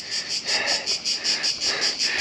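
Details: Loud cicada chorus on the Ston walls, southern Croatia, where the insects are everywhere: a shrill high buzz pulsing in even throbs roughly five times a second, steady and dominant throughout.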